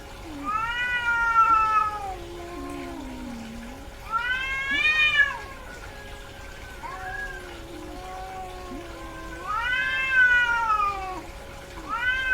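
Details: A female cat in heat yowls with long, wavering meows and lower growling moans between them, several loud arched calls over twelve seconds, a steady background hum throughout.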